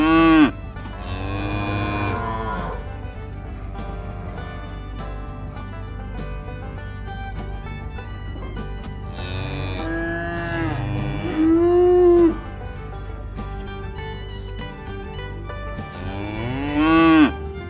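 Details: Cow. Several drawn-out cow moos sound in turn, each a deep, nasal bellow that swells and then slides downward. A low, steady hum runs underneath, with a faint musical tone in places.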